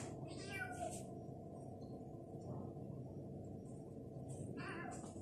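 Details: Stray Egyptian cats, a mother and her kitten daughter, exploring an apartment after eating; two short harmonic meows, one near the start and one at the end, over a steady low indoor hum.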